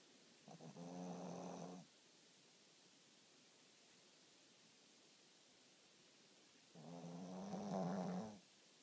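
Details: Shih Tzu dog snoring while asleep: two drawn-out rasping, buzzy snores about five seconds apart, each lasting over a second, with quiet breathing between.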